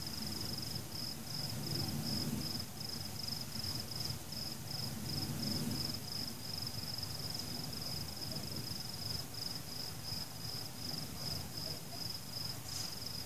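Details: Nighttime crickets during fireworks: a high, rhythmic chirping trill repeating in quick pulses throughout, over rolling low rumbles and thuds from the explosions.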